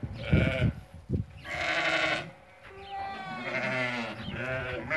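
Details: Several sheep, ewes that have given birth, offered for sale in a group of 80, bleat repeatedly. Calls overlap toward the end into a drawn-out chorus of tremulous, nasal cries over low rumbling noise.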